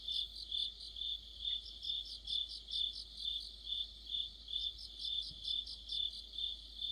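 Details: Cricket orchestra of mid-autumn: many insects produce high, thin chirps in regular pulses about twice each second, forming an even, unbroken chorus against near silence.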